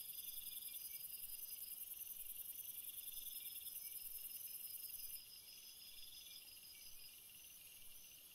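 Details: Crickets trilling at night, a bright, tightly pulsed high chorus in several layers; after about five seconds the highest, loudest trill stops abruptly and the remaining chirring continues more quietly.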